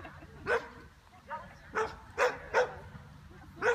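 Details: Bearded Collie at an agility jumping competition in September 2015, barking in short sharp bursts, about six barks spaced roughly half a second apart, with a handler's encouraging German words around them.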